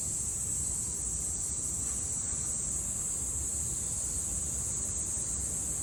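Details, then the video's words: A summer cicada chorus in Japan, 2022, forms an unbroken high-pitched shimmering drone at constant loudness, with soft low background noise. "Sounds of the cicada [ Japan in summer ] セミの声"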